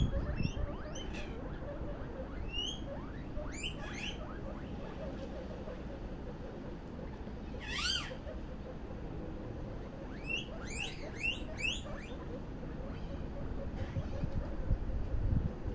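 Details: Several guinea pigs popcorning: scattered sharp rising squeaks in clusters, a loud stacked squeal near the middle, then a tight burst of repeated chirps, with quieter stretches and low rumbling between.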